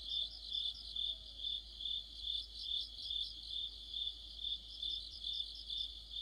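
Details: Autumn cricket song among other insects by a streetlight, a high pulsed chirp repeating evenly a little over twice per second, with a faint overlapping trill above and a quiet background.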